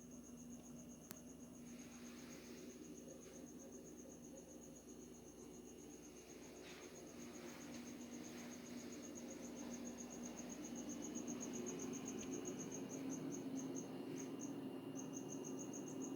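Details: Unidentified insect, possibly a cricket, singing in the middle of the night in Hawaii; a rapid high pulsed trill runs steadily, then breaks into short gaps near the end, over a constant low hum.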